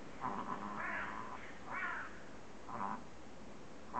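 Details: Chihuahua reverse sneezing: a series of nasal, honking snorts, each about half a second long, coming roughly once a second against a quiet indoor background.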